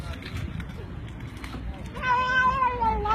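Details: House cat answering its human with one sustained, slightly falling meow after a stretch of indistinct human talk and background noise.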